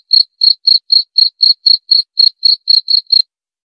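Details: Short burst of cricket song: about thirteen sharp, high chirps in three seconds, evenly spaced, then the insect falls silent.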